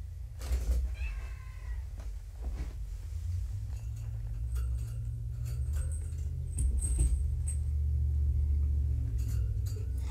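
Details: Kittens named Vixen, Donner, Prancer and Dancer in a room at the Purrfect Pals shelter one morning: a single clear meow with a ringing overtone, then clicks, knocks and rustling from the room, over a low hum.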